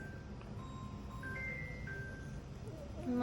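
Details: Tinkling melodic tones like an ice cream van tune over low rumbling background noise, with no animal calls. A steady low hum runs throughout.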